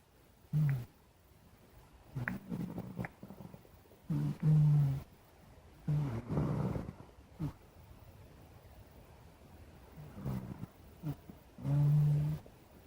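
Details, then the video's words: Black cat snoring in its sleep, low rumbling snores in irregular bursts, some close together, others several seconds apart, with quiet pauses between breaths. "Blk Cat Snoring"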